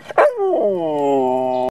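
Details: A short gruff bark from the dog Kojak slides straight into a sustained howl that sinks slightly in pitch and holds steady until it is cut off.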